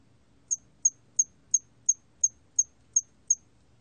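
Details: Hairy cricket (털귀뚜라미), from a 2020 National Institute of Biological Resources recording: a steady train of nine sharp, high-pitched chirps, roughly three per second, with only a soft low rumble underneath.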